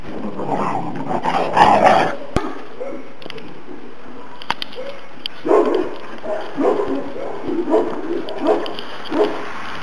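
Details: Two-month-old Šarplaninac puppies, Valjana and Oleon, on New Year's Day: a cluster of overlapping yelps opens, then brief silence, followed by a run of short, mid-pitched barks and yips spaced irregularly.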